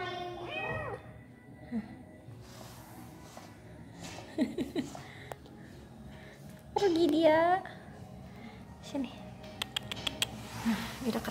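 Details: Domestic cats meeting for the first time: a brief high meow opens, then a louder, drawn-out wavering meow near the middle, with a woman talking softly in Indonesian and scattered handling noises around it.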